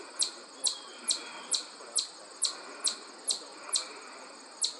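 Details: A chipmunk met while hiking at the Ashokan Reservoir gives sharp, high chips about twice a second in a steady series, with a faint insect-like hiss in the background.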